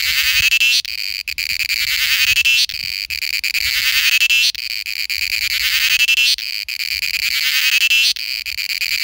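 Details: Cicada in India giving its mating call: a shrill, high buzzing drone in pulsing bursts that swell and break roughly every two seconds, with faint low rustling underneath.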